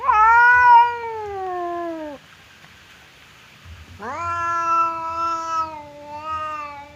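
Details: Indoor standoff between pet cats Temon, the aggressive one, and calm Lelo, separated by a barrier; a long descending caterwaul, a quiet gap, then a sharply rising, sustained wail.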